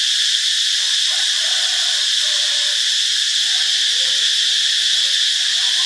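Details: Cicadas in Ubon Ratchathani, Thailand, recorded on Monday, March 15: a loud, steady, high-pitched buzzing drone that stays unbroken throughout, with faint lower chirps underneath.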